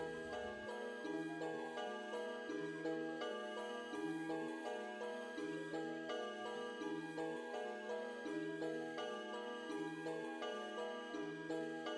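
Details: Steady instrumental music with soft repeating chimes and tinkling notes over a low pulsing line, with no animal voice anywhere.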